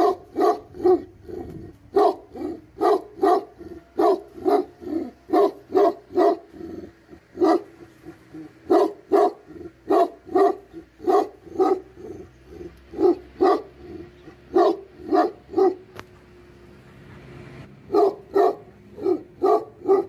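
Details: Angry Tibetan Mastiff, the Bhote Kukur of Nepal, barking in steady deep bursts of about two per second for twenty seconds, with a short quiet break near the end before the barking resumes.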